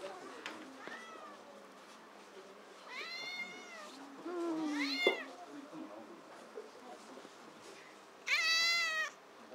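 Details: Haru, a rescued cat with only one front leg at Tokyo Cat Guardian's Otsuka shelter cafe in Tokyo, cries 'kyaa' around a drop from the top of a cat tower: three loud harmonic meows, drawn-out and wavering, over background chatter.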